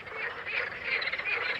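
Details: A dense chorus of frogs at a wildlife-only lake in Center Parcs Les Landes de Gascogne, France, with many voices overlapping in a continuous, rattling croak.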